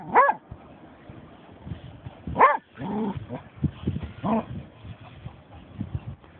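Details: German Shorthaired Pointer Snoop, having found a dead seagull, gives two loud, high, sharp yelping barks about two seconds apart, followed by softer whining barks amid rustling and low background noise.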